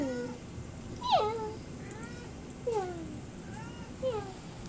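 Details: Domestic cat meowing constantly on a rainy day even though it has food, for no known reason. Four drawn-out, falling meows come about every one and a half seconds over a low steady background rumble.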